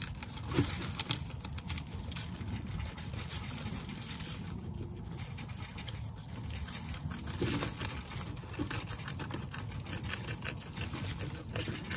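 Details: Broadband rustling and scratching fill the clip, with dull low thumps and a steady faint high tone; no distinct animal call stands out.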